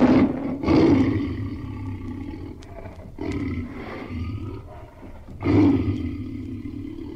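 A tiger gives deep, rasping roars, three loud bursts about two and a half seconds apart, with low rumbling growls in between.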